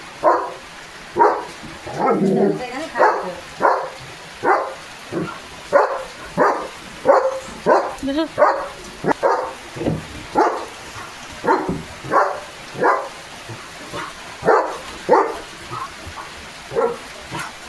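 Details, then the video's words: Soaked in pouring rain, Leo the German Shepherd keeps up a long string of loud, coarse barks, roughly one every half to three-quarters of a second with uneven spacing, as people speak nearby. "Leo The German Shepherd पावसात भिजत भिजत भुंकतोय"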